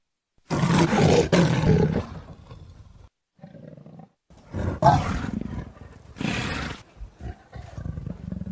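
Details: Leopard giving a series of loud, harsh, raspy roars, each about one to one and a half seconds long, separated by quieter low growls and a short silent break.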